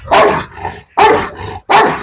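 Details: Dog described as one that bites and tears, kept on a leash, barking loudly: three harsh, forceful barks about seven tenths of a second apart, each a sudden burst with a strong mid-pitched core, separated by brief silences.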